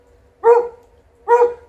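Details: Alaskan Malamute and Golden Retriever outside, digging, rolling and ignoring calls to come inside; a pair of strong, harmonic barks spaced under a second apart against quiet background.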